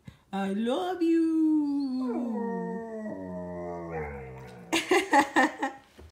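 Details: Pet dog, one year seven months old, howling low: a note that rises, then glides steadily down in steps to a deep rumbling tone over four seconds, after which a person speaks praise in short bursts.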